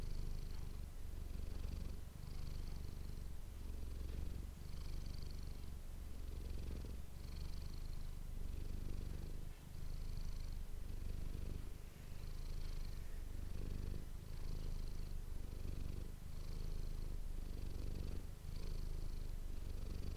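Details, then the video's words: Manis, a pet cat, purrs on and on into an ASMR microphone, a sustained low rumbling drone rising and falling with each breath roughly every one to two seconds. "ASMR cat purring ❤ Manis die aan het spinnen is"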